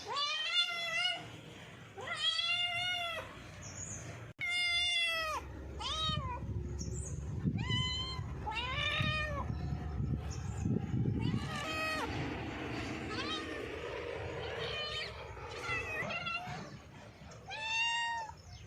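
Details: Several cats meowing in quick succession, short arched meows repeated roughly three times a second in places, overlapping one another, with a rumbling low noise and scattered rustling throughout.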